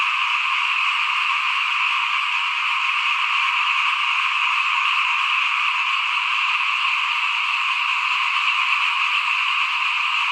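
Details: Frogs calling in front of a house at rice sowing time in 2021: a dense, unbroken chorus of many frogs, a steady shimmering trill in the mid-to-high range that never pauses, with no other clear sounds.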